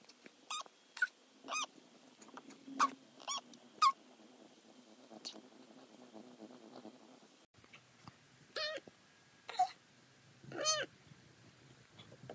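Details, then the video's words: Domestic cat Butters indoors, meows played at altered speed: a run of short, rapid, high-pitched chirpy meows early on, then after a pause several longer, fuller meows with rich harmonics, on a quiet room background. "Fast To Slow Meows"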